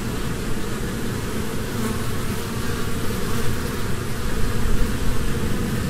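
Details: Honeybees droning in a low, constant buzz that grows a little louder toward the end, over heavy rumbling background noise.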